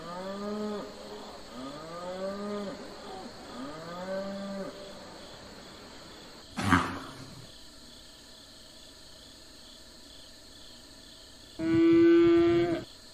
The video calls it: Cow Calling / Mooing / Sound & Behavior